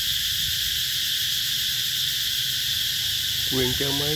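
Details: Cicadas calling in summer, Mỹ Luông eco-tourism area, Chợ Mới, An Giang, Mekong Delta, Vietnam, 2021. A steady high whining buzz dominates, and a human voice speaks briefly near the end.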